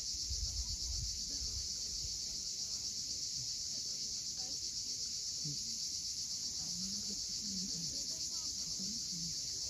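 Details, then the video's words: On the steep Crimean coast at Cape Fiolent, cicadas buzz continuously and evenly at sunset; deep wave rumble opens the recording, then faint low chirps come in beneath the high drone. "Cicadas at sunset."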